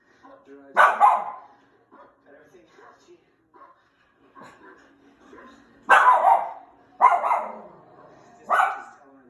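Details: A Schnauzer barking at the TV gives one sharp bark, then three more in quick succession about a second apart.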